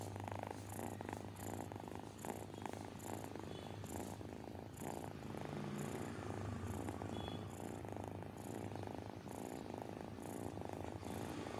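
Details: Persian cat with a disability, once a street rescue, purrs contentedly as it is spoiled; continuous low rumbling swells and fades with each breath, about every 0.7 seconds, accompanied by faint airy hisses and a quiet background.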